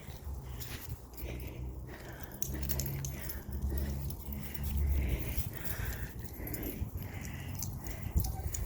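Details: Nine-week-old puppies, among them a female named Agave, on their first time outside; thin high whines and whimpers come and go over a low rumbling background while a woman's voice coaxes and praises them.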